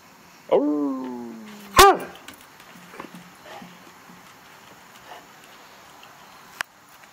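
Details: Old hound Rookie, urged on by a man's voice asking about danger, lets out one drawn-out howl that slides slightly downward for about a second, then a sharp short bark-like yelp; quiet indoors afterward.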